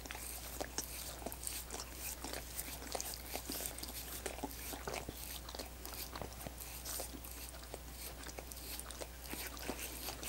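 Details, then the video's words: Several seconds of dogs working at coconut water popsicles, with quick wet laps and tongue clicks coming in uneven bursts, now and then a brighter crackle, all above a constant low-pitched hum. "Dogs Licking Coconut Water Popsicles"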